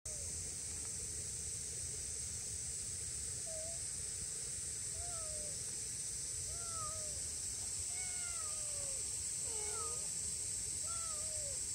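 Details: Two-month-old grey-tabby-and-white stray kitten, filmed in July, left alone on a riverbank after its mother and tabby sibling crossed ahead, meowing anxiously: a scattered series of thin, arching and falling mews, some higher and shorter, over a steady high hiss.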